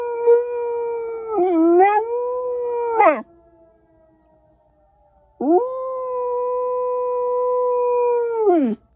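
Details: Scout, a 1-year-old Pembroke Welsh Corgi in Rochester, Minnesota, USA, on April 15, 2021, gives two long, steady howls, copying tornado siren drills he heard for the first time.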